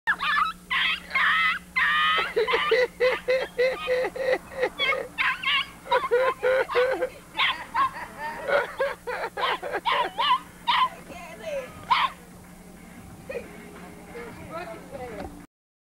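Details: Puppy barking during its first close encounter with a cat's paw: rapid, high-pitched yapping barks fire in a dense string for about ten seconds, then thin out into a few scattered yelps before fading to quiet.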